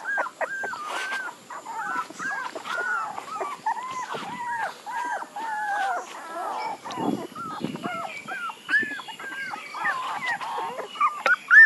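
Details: Several puppies give soft, evenly spaced arched whines, short nasal cries rising and dipping in a steady run, fainter than the rest, with low rustles partway through and a faint steady hiss behind.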